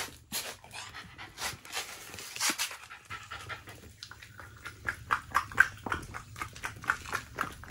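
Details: Shiba Inu dog around steak feeding, breathing in quick rhythmic panting bursts that grow sharper and more regular in the second half, with soft whimper-like tones mixed in.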